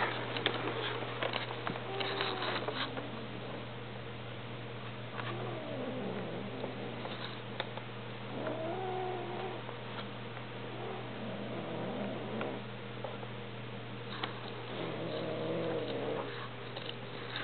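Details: Two domestic cats mating indoors: Simba, a full-blood peach and cream Persian, and Josie, a half-Persian, half-Munchkin Napoleon. Low, wavering moans and yowls rise and fall over a steady electrical hum, with scattered rustles and knocks.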